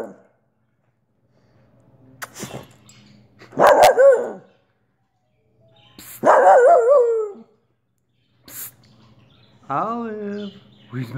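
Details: Olive, a Wheaten terrier, sounds off with wavering, long tonal barks that waver and slide, about every two to three seconds, with clicks and a low background hum.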